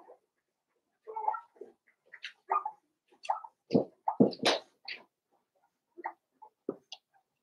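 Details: Daisy's five-week-old Cavalier King Charles Spaniel puppies: a busy burst of overlapping whines, squeaks and sharp yelps, rapid and uneven, fading to a few thinner squeals at the end.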